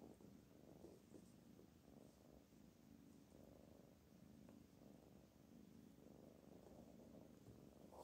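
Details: Pet cat Black Panther purrs continuously, a low rough rhythmic rumble with no breaks, while its owner tries to write Persian calligraphy.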